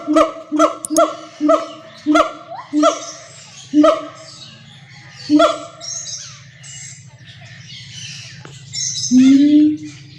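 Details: Siamang, also called black monkey. A rapid run of short, loud, harmonic barks at first, then slower spaced barks, and finally a drawn-out rising note. A steady low hum runs underneath throughout.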